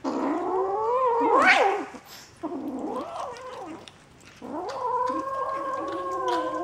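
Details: Bengal kittens in a St. Petersburg cattery, January 2015, crying in drawn-out, wavering meows; one call climbs sharply in pitch, followed by a short lull, then a steady sustained mew.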